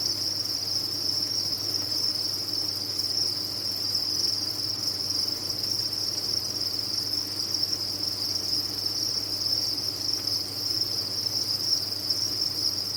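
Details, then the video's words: Continuous high trilling from a crowd of farm-raised crickets, a seamless metallic buzz holding steady throughout over a quiet low hum. "Sound of a Cricket Farm"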